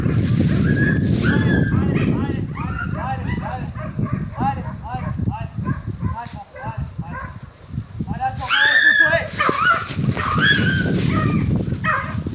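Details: German Hunting Terrier in Kosovo, barking rapidly and repeatedly in dense, overlapping bursts of short harmonic yelps, with rough low rumble and wind-like noise beneath and human voices present.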